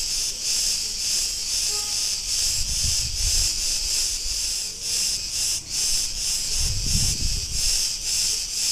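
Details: Street in Ierapetra, Crete, Greece, filled with Cretan cicada song: an unbroken high-pitched rasping drone beating in rapid pulses, with two low rumbling swells of passing vehicles and faint tonal background notes.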